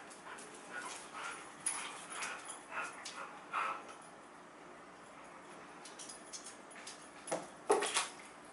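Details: Pair of huskies tugging on a chew ring in play; intermittent soft grunts and whimpery growls with rustling, a quiet stretch in the middle, then a sharper yip-like burst near the end.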